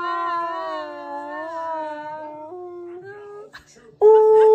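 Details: Siberian Husky named Key, angry at his owner for talking over him, gives a long, steady, wavering howl with rich overtones for about three and a half seconds, ending in a brief louder, higher note.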